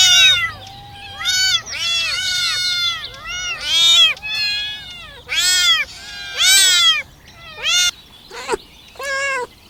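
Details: Crawling kittens begging for mother's milk, a steady chorus of loud, high, bowed mews, some drawn out and wavering, others short and sharp, coming almost without pause.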